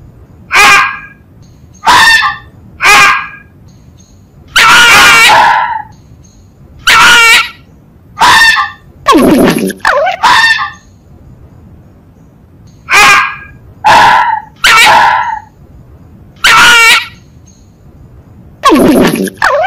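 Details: Long run of fox gañidos: raspy, strained yelps repeated roughly every second, in clusters of two or three, some longer and wavering, with brief pauses and a calm, quiet background.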